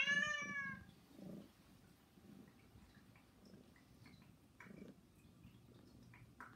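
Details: One of three indoor pet cats, Saba, Hana and Mizore, gives a single clear begging meow at the outset, followed by near-quiet room noise with faint small knocks.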